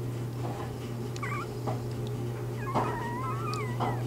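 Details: Newborn Bernese Mountain Dog puppies within their first three days, born to Bear: a few wavering, squeaky whimpers, one short near the start and a longer quavering run in the second half, over a steady low electrical hum indoors.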